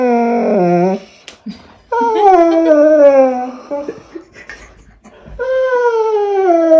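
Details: Pointer dog complaining during tug play with his toy indoors; three long, loud, clear whines with bright harmonics, each sliding slowly downward, separated by brief pauses and faint rustling.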